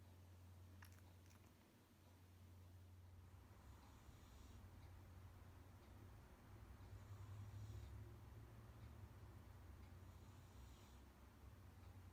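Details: Kuu, a pet Munchkin cat whose loud, old-man-like snoring sometimes wakes its owner, snores with a low rumbling drone and soft breathy hisses returning about every three seconds.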